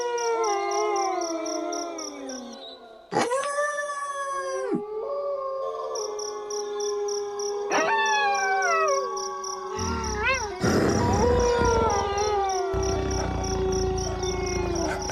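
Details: A chorus of wolves holds drawn-out, sliding howls. After a brief drop-out, a high, abrupt new voice enters, then falling wails. A rough, noisy burst swells near the end beneath the steady sustained tones.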